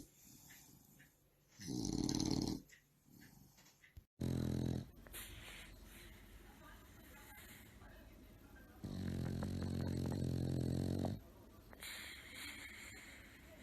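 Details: Sleeping bulldog snoring loudly during a nap: a few rough, buzzy snores, some brief and one drawn out for about two seconds, with quieter breathing and low background rumble between them.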